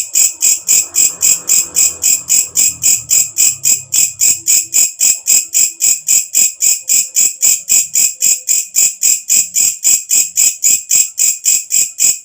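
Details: Katydid calling at night, a loud shrill rasping pulse repeated steadily almost four times a second, high and bright; faint low rumbling sounds underneath during the opening seconds.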